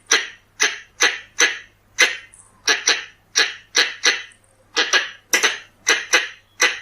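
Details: Pallas's squirrel giving a lure call sequence: steady series of abrupt, noisy barking chucks spaced roughly half a second apart, with a brief faint squeak between notes and a soft low hum underneath.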